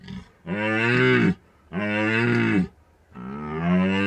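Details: A red deer roaring in the rut, Bucovina mountains, drop-rig recording during peak season; three long, low harmonic bellows of about a second each, evenly spaced, strong and close.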